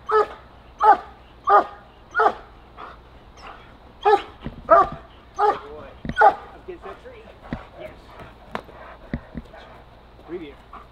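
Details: German Shepherd in protection training barks in a steady run of powerful, regular woofs for about six seconds, then the barking thins into softer, scattered yelps while a handler talks.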